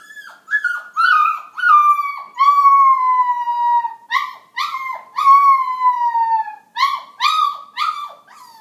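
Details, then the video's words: In the morning a small dog weighing about five pounds howls loudly and steadily, long sustained notes that sag slowly in pitch, broken by short yipping breaks and restarting several times. "Remmy Sings a Song"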